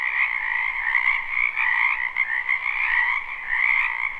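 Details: Many frogs calling together in a spring wetland, recorded live. The chorus forms a dense, unbroken trill with two steady bands, one mid-pitched and one higher, that swell and fade slightly every second or so.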